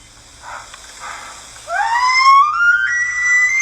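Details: An elk gives a long, high, squeaky whistle that slides upward and holds like a creaking kitchen door, after a second of quieter rumbling.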